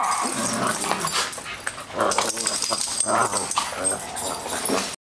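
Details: Two dogs at play in a daycare, January 2012. Repeated harsh, harmonic growl-barks come in bursts about every second over constant noisy background rustle, ending abruptly.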